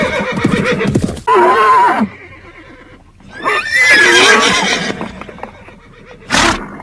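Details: Horse neighing: several loud, shaky whinnies with wavering tones, each broken into bursts with short pauses between them, followed by a sharp noisy snort near the end.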